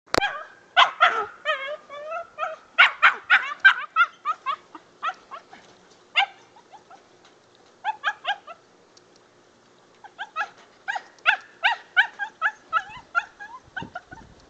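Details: Young dog on its first squirrel hunt, barking excitedly in rapid bursts of sharp, high yips and barks, pausing briefly around eight and ten seconds before resuming quick repeated barks.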